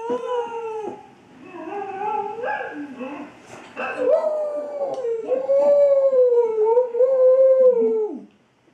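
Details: Female Australian Kelpie howling at a cellphone recording of her own howling; long tonal wavering howls with rising and falling pitch, overlapping with the played-back howl, building to a sustained steady howl near the end.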